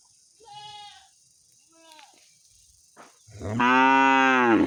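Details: Cow calling its owner in anger: faint, higher call-like sounds at first, then a sudden loud, rich, drawn-out moo that holds steady until the end.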